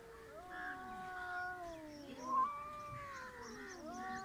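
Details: Two cats on the verge of fighting, their sustained, overlapping growling yowls held as long wavering tones that slide slowly up and down, with one brief louder peak in the middle.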